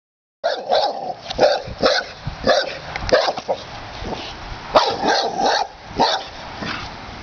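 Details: Pit Bull barking at a snapping turtle that has entered its home yard, reacting to a strange visitor: a steady run of loud, sharp barks with short gaps between them, each bark bright and punchy.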